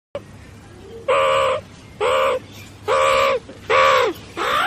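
A meerkat gives a series of harsh, nasal, harmonic calls, each about half a second long.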